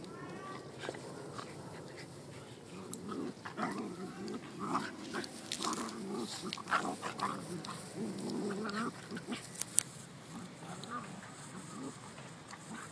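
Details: Schnauzer and beagle wrestling in play, giving rough, throaty growls and snorting grunts in uneven bursts, with scuffling and thumps of their tussle between the noisier moments.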